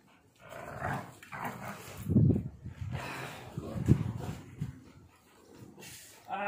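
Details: Pitbull Bully mix dog playing tug of war with its owner, producing deep, throaty growls in several surging bursts, louder around the middle, while a man talks in Spanish between them.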